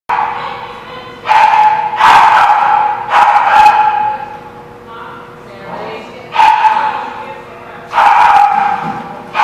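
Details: Dogs barking at a kennel lot recorded on 10/17/16; loud repeated bursts of barking from several dogs in clusters, strong midrange yelps alternating with quieter gaps, over a steady mechanical hum.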